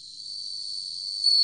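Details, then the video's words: Bell cricket song from a 2020 National Institute of Biological Resources recording: one steady, high, ringing tone held without a break, with a faint higher overtone and a slight swell in loudness toward the end. "방울벌레, 여러번 듣기, 곤충소리"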